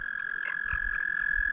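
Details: In spring, about 30 toads mating in lake water give a steady, unbroken high trill that stops briefly now and then.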